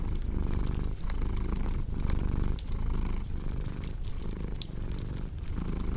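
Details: Domestic cat purring over a cozy crackling fireplace, a relaxing sleep soundscape: steady low rumbling purr that swells and eases roughly once a second with each breath, sprinkled with sharp wood pops and crackles.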